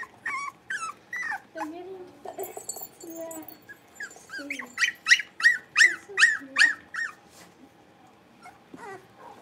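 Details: Five blenheim Cavalier King Charles Spaniel puppies, born at New Year's, playing in the Red Barn Cavaliers puppy pen: high whining yelps that bend up and down, then a burst of about six sharp, rising yips roughly every half second, before fading to quiet.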